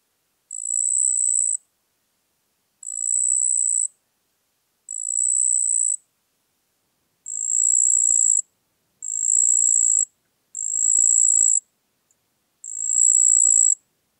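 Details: Marsh cricket (Pteronemobius heydenii) singing at Puntigam, Austria, on 4 June 2022: high, even buzzy trills about a second long, seven bursts separated by one-second gaps with one longer pause, over a silent, noise-cleaned background.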